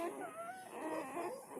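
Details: High, continuous whimpering from newborn village dog puppies, four born together to a village mother dog: a thin tone that wobbles up and down throughout, with faint background hiss.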